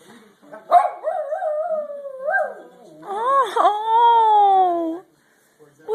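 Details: Jeter the dog makes a drawn-out warbling howl: a wavy, gliding first phrase, then a louder, smoother sustained note that bends up and slowly sinks before stopping.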